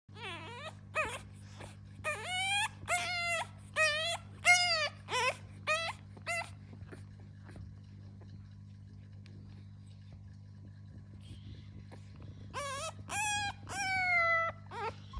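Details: Fawn French Bulldog puppy, struggling to roll over like a little turtle, gives high whimpering whines that rise then fall. They come in quick bursts over about six seconds, then a quiet stretch, then another run near the end over a steady low hum.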